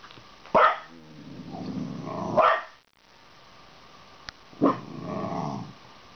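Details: Red heeler (Australian Cattle Dog) puppy barking at German pointers shown on a computer: three sharp barks spaced about two seconds apart, with low grumbling noise between them.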